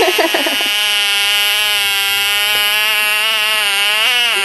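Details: Frog caught and screaming: one continuous, loud, nasal wail with a gentle wobble in pitch and a brief upward lilt near the end, after a moment of short choppy sounds at the start.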